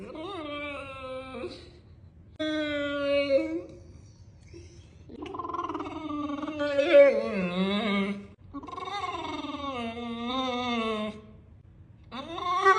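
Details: Indoors, a female Neapolitan Mastiff weighing 120 lb gives a series of varied, drawn-out moaning and whining calls in short bursts with gaps between. Some hold a steady pitch, while others waver and slide downward.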